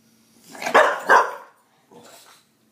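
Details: Briggs, a pet bulldog, upset and confused by candles he does not understand; two loud, gruff barks in quick succession, followed by a softer, shorter bark after a brief pause in a quiet room.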